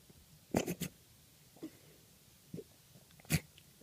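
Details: A Maine Coon kitten hiccups, with short soft clicking catches at irregular intervals; the hiccups began the night before castration, worsened after surgery, and came with cat flu, nearly pneumonia.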